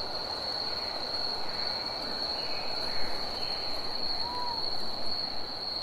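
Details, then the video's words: Cicadas in summer holding a steady, high, pure whining drone without a break, over a low rumbling background. "Cicadas Chirping & Singing"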